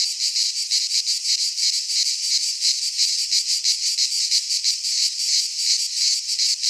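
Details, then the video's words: Greek pine forest in midsummer, where cicadas keep up a loud, steady shrill drone. Even pulses of about three per second ripple through the buzz; nothing else is heard. "Cicadas singing in midsummer - Nature sounds from the Greek fauna - Sounds of cicadas"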